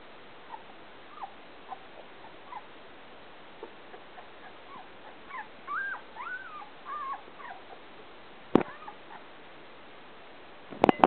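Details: Pointer puppies, Wild Apple Kennel, 2011: soft, scattered whimpers build into a louder cluster of wavering, arched whines midway, fading off before a loud knock and rattling handling noises at the end.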